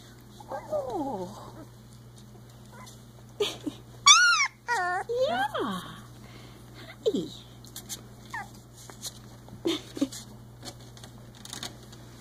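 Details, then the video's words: Three-week-old Icelandic Sheepdog puppies playing, giving short squeaky, high-pitched growling cries with wavering, rising-and-falling pitch in scattered bursts, the loudest cluster near the middle, with a woman's soft cooing talk and a steady low hum behind. "Growl! Hop! 3 week old Icelandic Sheepdog Puppies"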